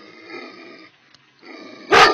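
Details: Angry Tornjak livestock guardian dog at Platak: a low, rough, harmonic growl that pauses briefly, resumes, then breaks into a sudden loud, harsh bark-like burst at the end.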